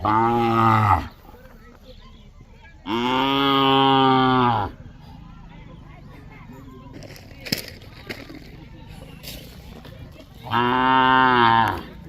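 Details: Khillar/Mysore calves kept in a tethering line in Maharashtra, India: three drawn-out, loud moos, the middle one nearly two seconds long, with a long quiet gap of distant noise before the third.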